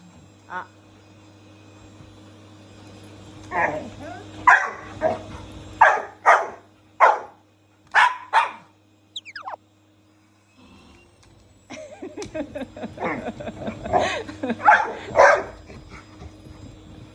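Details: Shiba Inu and Labrador confronting the household vacuum cleaner at home. A low motor hum runs under a burst of rapid, sharp barks. After a short silence, a rougher cluster of barks mixes with human voices.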